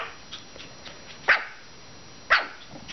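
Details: Maltese puppies, five weeks old, playing on April 16: two sharp, high, clipped yips about one second apart, with faint softer squeaks and light shuffling between them.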